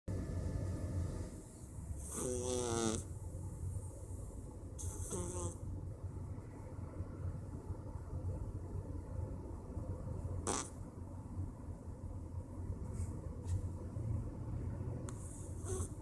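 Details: A male Persian cat snores on a Wednesday afternoon, with a steady low rumble broken by a few brief raspy snorts.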